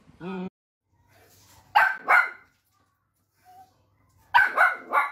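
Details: Pet dachshund, a sausage dog, giving short bright barks in two bursts, a pair near the middle and a quick cluster of three at the end, with a brief human voice at the start and quiet gaps between.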